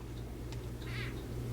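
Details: A gravid female crested gecko gives a brief, squeaky chirp while handled, tail wiggling and head shaking, warning a perceived male not to mate with her.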